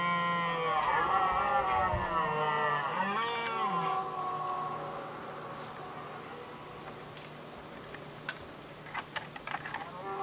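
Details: Rutting red deer stags in Västmanland, Sweden, 2010, competing over hinds: a rough bellowing roar for about four seconds, then a fading groan, followed by sharp scattered clicks and knocks.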